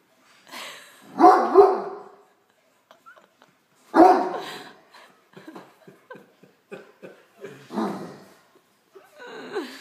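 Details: Great Dane barking at a tray of dinner rolls, wanting one; three loud, broad barks with pauses, near 1, 4 and 7.5 seconds, separated by quieter snuffles and small clicks, with no speech over them.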